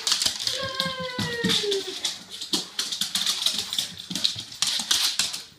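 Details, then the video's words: Rory, an 18-month-old Soft Coated Wheaten Terrier, giving his usual crazy greeting indoors: one drawn-out, high whine that slides downward, among clicking and scrabbling sounds in a small room. "Wheaten Greeting!"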